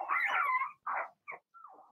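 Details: Young Blenheim Cavalier King Charles Spaniel puppy in an indoor puppy pen, giving a drawn-out whining yelp followed by two shorter squeaks and a falling whimper.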